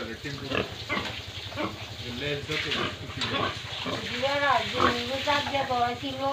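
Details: Pigs and piglets on a pig farm in Tripura, India, at feeding time, giving a busy overlapping chorus of short grunts and rising-falling squeals, several animals calling at once with steady scuffling and background noise.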